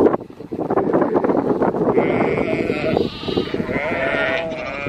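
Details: Sheep with two-week-old lambs being worked by Border Collies and a Kelpie; wavering bleats with rich harmonics rise from about two seconds and repeat near four seconds over a dense bed of trampling and shuffling, with brief Dutch speech nearby.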